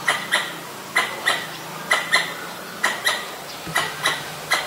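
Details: Pallas's squirrel (Callosciurus erythraeus) in Ubon Ratchathani, Thailand, recorded 1 January 2023 with a Nikon P1000, sounding off at danger: loud, dry chucks in quick pairs, repeating roughly every second.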